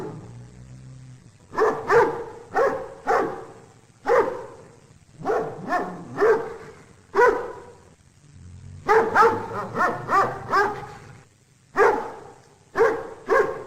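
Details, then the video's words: Dog barking repeatedly, steady single barks early then a faster cluster of five or six, followed by spaced barks to the end; low rumble underneath. "Köpek Havlama Sesi"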